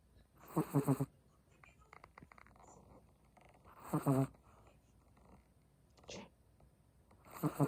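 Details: A sleeping Chihuahua snores in soft, rasping bursts about every three seconds, each a short rattling inhale, with near silence between.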